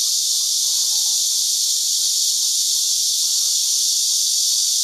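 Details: Seasonal cicada chorus from many insects clinging to tree branches on a farm in Houbi, Tainan, captured with a digital camera; an unbroken, shrill, hiss-like wall of sound holding a constant loudness throughout.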